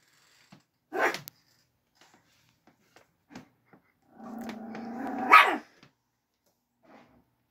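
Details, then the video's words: Angry chihuahua defending its bed: one sharp bark, then after a pause a low, rough growl lasting over a second that rises into a loud snapping bark, with faint small knocks between. "Angry Chihuahua Defending bed"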